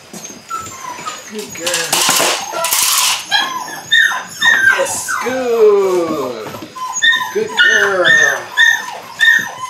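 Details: Eight-week-old Belgian Malinois puppies from one litter at early bite work: descending whimpers and drawn-out whines sliding downward, some with rich harmonics, mixed with human voices and a burst of noisy scuffling.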